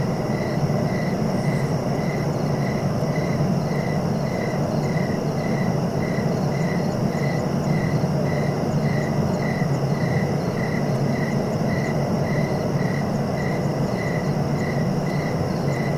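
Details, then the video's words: Cricket chirping for relaxation and sleep: a steady train of short, even pulses, roughly two per second, held unbroken over a deep, constant low rumble of background noise. "Relaxing cricket sounds for sleeping"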